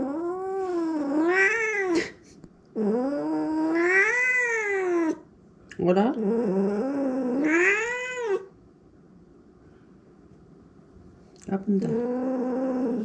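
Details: House cat complaining loudly indoors after spilling its water bowl: a run of long, wavering yowls that rise and fall in pitch, several in a row, then a few seconds of quiet before another cry begins.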